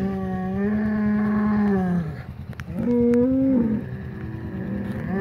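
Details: Polled Hereford bull from the Secret Weapon bloodline, one of two mixed back together after the breeding season and fighting that afternoon; a long deep moo sliding slightly downward, then a shorter higher bellow, low engine hum behind.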